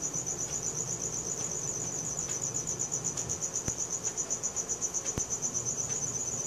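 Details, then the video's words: Crickets at night, Samsung Galaxy S4 recording: unbroken high-pitched rapid pulsing, even and unchanging, with occasional faint clicks and a soft low background murmur. "CRICKET SOUNDS | RELAXING SOUNDS OF NATURE AT NIGHT"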